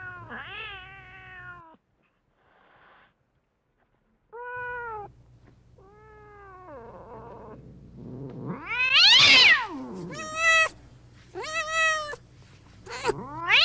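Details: Meow sounds meant to draw cats near: short bright meows separated by pauses, then a loud shrill rising-falling cry and several quick repeated high meows toward the end.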